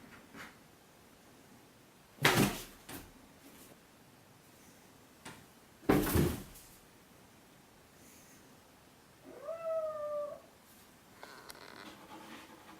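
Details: Semi-feral kitten Chloe, adopted two weeks earlier, playing in a copier-paper box cat castle in a living room, 17 October 2014; one steady, drawn-out meow about a second long near the end, after two loud thumps of cardboard and knocking.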